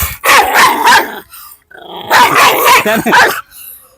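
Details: A dog barking and growling in harsh, rapid bursts: two dense bouts about a second long each, split by a short pause, with brief human speech at the edges.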